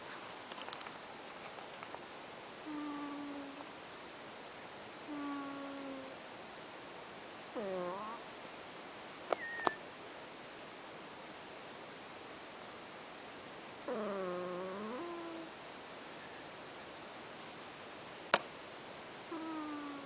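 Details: Pet cat Ash snores in its sleep: squeaky whistling breaths, some flat and some swooping downward with rich overtones, spaced several seconds apart, with occasional sharp clicks in the background.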